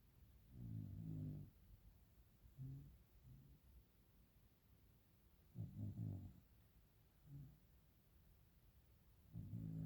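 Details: A sleeping dog snoring softly indoors while everyone sleeps: low, rumbling harmonic snores recurring every few seconds, some longer and fuller, others short, with quiet steady room hum between breaths.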